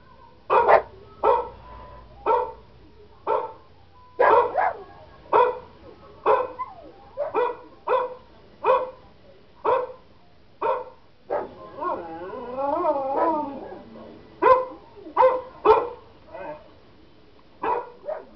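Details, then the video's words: Pet German Shepherd barking in reaction to recorded dog barking sounds; loud, sharp barks repeat roughly every second, broken midway by a wavering, rising-and-falling wail before the barking resumes. "our gsd barking at dog barking sounds"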